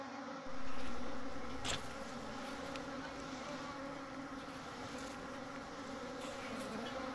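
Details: Many honey bees humming at their open nest while building comb and storing honey. A continuous, level drone is joined by a brief low rumble near the start.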